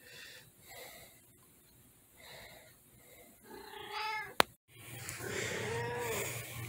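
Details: A female tabby cat gives a few short, harmonic meows, some rising and falling, answering a person's voice as they hang out together.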